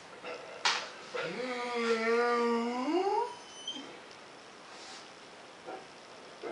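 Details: Domestic female cat in heat, indoors: a single drawn-out, wavering yowl lasting about two seconds that slides upward at the end, with a faint thump before it and quiet room noise afterwards.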